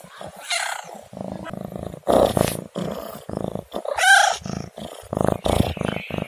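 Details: A domestic cat makes a rapid series of loud, rough, strained meows and cries, short bursts packed closely together, one more tonal wail in the middle.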